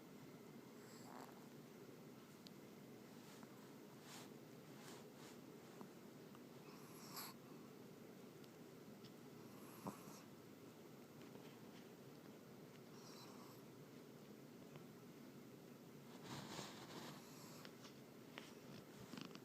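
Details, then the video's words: Sleeping dog named Teddy snores in a small room, each raspy, breathy snore arriving roughly every three seconds, with a constant low background hum between breaths. "More of teddy snoring so funny a dog that snores so loud."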